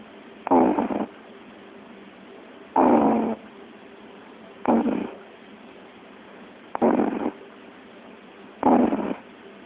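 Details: Sleeping puppy snoring indoors: five rough, breathy snores, each about half a second long, spaced roughly two seconds apart, with a faint steady hum between them.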